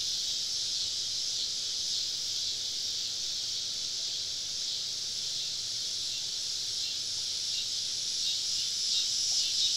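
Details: Woodland cicadas on a summer evening in the South, heard while camping: a softer continuous high-pitched buzz, steady and hissing, with a brief brighter chirp near the close.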